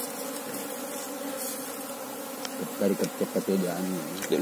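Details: Steady low humming of an Apis cerana colony being searched for its queen, the even drone clear for the first half before a man's voice speaks over it.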